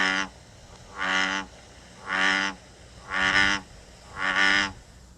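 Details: An American bullfrog in Connecticut gives deep, resonant, droning notes likened to a giant bumblebee or a cow, each about half a second, repeated roughly every second.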